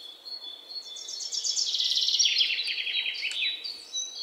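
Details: A single running series of rapid, high-pitched chips from an Indian palm squirrel, the notes sliding gradually lower in pitch as the series goes on, over a light background hiss.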